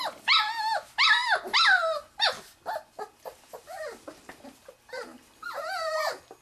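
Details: Wirehaired Pointing Griffon puppies of the 2013 "E" litter at Bluestem Kennels, three and a half weeks old, sniffing a quail on their first bird exposure; loud, high, wavering whines and yelps in a rapid irregular burst, then a long drawn whine.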